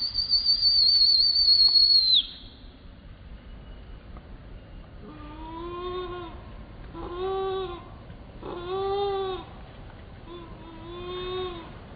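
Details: Baby monkey screaming: a thin, high whistled tone held for about two seconds that drops away at its end. After a pause come four drawn-out, wavering wailing cries, each about a second long, spaced roughly a second and a half apart.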